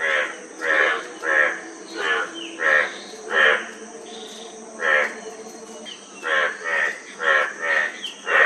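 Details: A frog gives rasping, pulsed croaks in two bursts, about one every half second, separated by a quiet gap of nearly two seconds, with a steady high-pitched hum behind.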